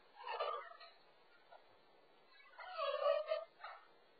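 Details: Frenchie puppy Frank, stranded on top of a wall divider and recorded by an indoor pet camera, gives two short distressed whines, the second longer and sliding downward, with faint room noise between them.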